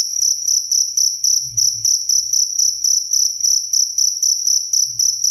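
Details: A cricket sings in quick, even bursts of shrill, high chirps, roughly four each second, sustained without pause over a quiet low-frequency murmur.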